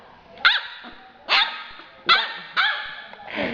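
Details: Two-month-old yellow Labrador Retriever puppy barking: four sharp, high, bright yaps spaced unevenly about half a second to a second apart, then a fifth rougher, drawn-out bark, over a quiet room background.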